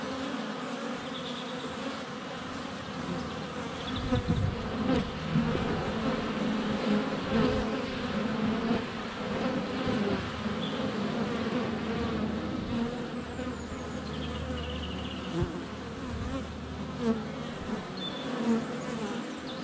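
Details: Sustained droning from a crowd of honey bees in flight, captured at the hive entrance on a sunny February day by a GoPro Hero 7 Black under a foot away. Faint thin whistles of birdsong drift over the buzzing.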